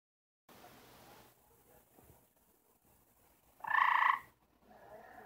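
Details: Gray treefrog, one of four kept together and trying to mate, gives its mating call: a single loud, buzzy trill lasting under a second, with strong tones in two stacked bands, set against an otherwise quiet background.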